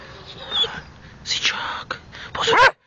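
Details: Pit Bull named Bruno during obedience training, with a man giving Czech commands to sit, heel and hold: loud short bursts and a final rising-falling yelp with clear harmonics, mixed with the trainer's voice.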